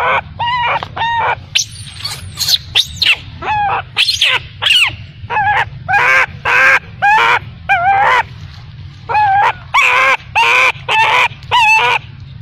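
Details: Baby macaque crying after its mother abandoned it, giving a steady series of short harmonic wails, nearly two per second, some rising then falling, with brief high squeaks between.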